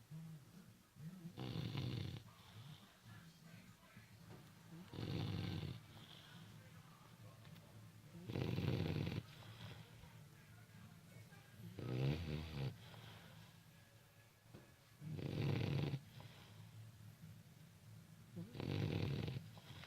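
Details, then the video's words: A four-month-old puppy snores while asleep: six loud, raspy inhalation snores, each lasting about a second and spaced roughly every three to four seconds, with quiet breathing between them in a still room. "Puppy snoring"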